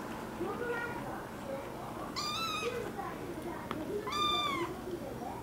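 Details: American Curl kitten giving two higher, arched meows amid quieter overlapping voices and background murmur that includes speech.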